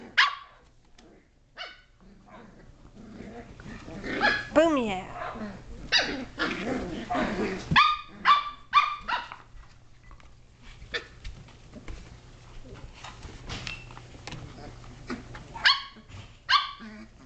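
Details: Indoor play among 7.5-week-old Shetland Sheepdog puppies: climbing, jumping and wrestling. A person's voice with a rising-falling tone early on, then clusters of short high barks and yelps, some in rapid triplets.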